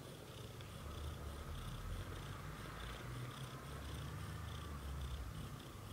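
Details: British shorthair cat family, black golden parents Leo and Samel with newborn kittens in their first 30 days; a steady, low, rumbling purr runs unbroken through the whole stretch, with a faint even hiss above.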